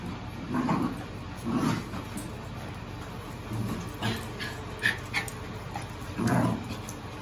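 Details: Seven-week-old puppies from Lola's litter give short, low whimpering yips and grunts in separate bursts, with quieter squeaks between them, over a steady background hiss.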